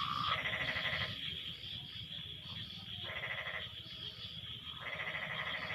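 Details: After rain, frogs call back and forth in a chorus: bursts of rapid pulsed croaks about a second long recur every one to two seconds over a constant high insect-like hum.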